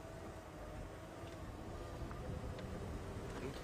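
Steady low rumble of a moving vehicle, with no animal calls.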